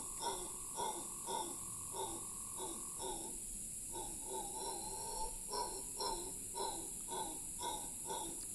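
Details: Howler monkey, Cahuita Park, Costa Rica, in a long howl: pulsed guttural grunts at a steady rhythm, with a short lull near the middle before resuming, and continuous high buzzing in the background.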